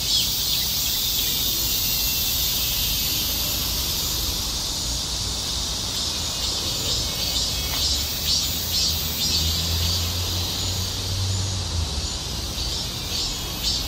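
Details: Continuous high, hissing drone from cicadas that holds steady throughout, with a faint low hum toward the end.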